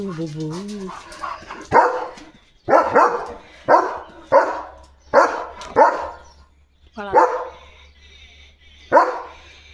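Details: Domestic German Shepherd barking excitedly at animals passing outside the yard gate: a man's voice briefly at first, then a run of loud, gruff barks, some doubled, spaced roughly a second apart.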